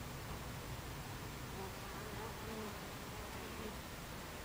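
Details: Buckfast honey bees at the beehive entrance, 26 July 2013 at 14:30: a dense, steady hum of many wings, with faint wavering drone tones as individual bees pass close by.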